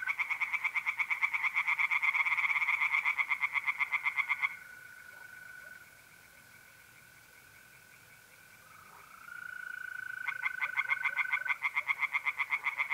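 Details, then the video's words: Pond tree frogs in North-East Italy on an April night give a dense, rapid pulsed chorus for over four seconds. It falls silent, leaving only a pure, continuous mole cricket trill. Another burst of quick croaks returns near the end. "singing tree frogs in pond"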